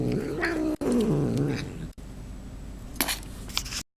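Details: Domestic cat mid-meal giving a short, low, wavering grumble that falls in pitch, then crunching and chewing clicks.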